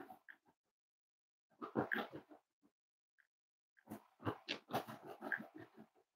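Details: Snuggling Cavalier King Charles Spaniel puppies indoors, at a home raising emotional support dogs, on a warm Friday morning: two bouts of rapid, pulsed low grunts and snuffles, each lasting about a second, separated by quiet.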